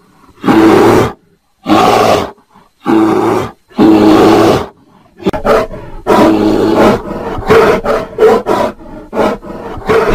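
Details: Loud grating roars from a bear in mating season, first several separate drawn-out bellows, then a continuous run of choppy growling pulses with no silence between them.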